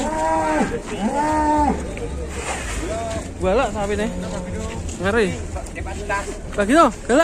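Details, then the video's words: Enraged cattle chasing someone in Indonesia bellow long, steady moos. These give way to shorter, sharply rising and falling lowing calls toward the end, over a constant low hum. "SAPI NGAMUK BIKIN TAKUT NGEJAR SAYA GAES"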